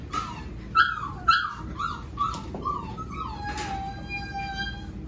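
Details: Pearl's Golden Retriever puppies, seven weeks old, whimpering: a string of high, thin whines that slide downward, several overlapping, with one longer drawn-out whine near the end.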